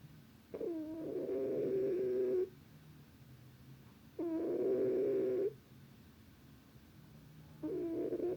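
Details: Sleeping cat giving steady, drawn-out snores with a hummed, slightly whistling tone, each about two seconds long and recurring roughly every three seconds in a quiet room.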